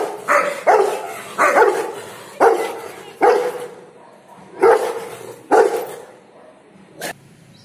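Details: Rottweiler barking during play: about seven loud, mid-pitched barks spaced unevenly over seven seconds, the last one short and sharp.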